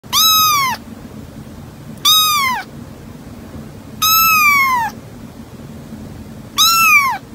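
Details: Kitten crying with four loud, drawn-out meows, each a falling, slightly arched wail lasting about half a second to a second, spaced roughly two seconds apart over a faint steady background hum.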